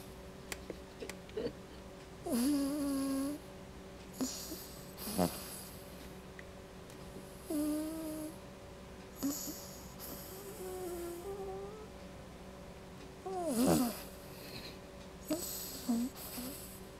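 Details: Sleeping female dog Quinny snoring in a small room: repeated whistled, quavering wheezes with airy hissing exhales every couple of seconds, some louder and rougher than others, against a faint constant background hum.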